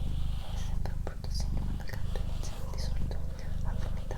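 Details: Pet cat Doroti, female, purrs close up indoors: an even, low rumbling drone broken by brief gaps at each breath, with gentle whispering and faint clicks above it.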